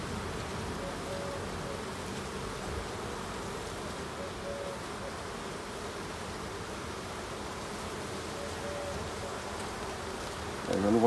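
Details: Steady, low droning of honey bees from a strong, populous colony, heard during a late-summer hive inspection on 22 September. Faint tonal whines rise and fade over the continuous hum, and a handling noise comes at the end.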